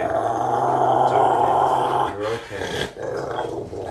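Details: Rottweiler growling and purring while being bathed, towel-dried and brushed: a steady, deep rumbling growl for about two seconds, then broken, wavering vocal bursts with a short pause between them.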